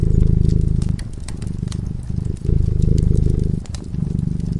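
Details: Cat sleeping at the fireside gives a deep, pulsing purr, strong at the start and swelling again twice, while the fire crackles and snaps lightly throughout.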